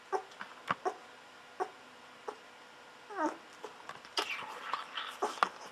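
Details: Golden Retriever babies at day fourteen, bottle-fed milk, utter brief squeaks and one wavering, downward-sliding whine, followed by a burst of busy sucking and rustling.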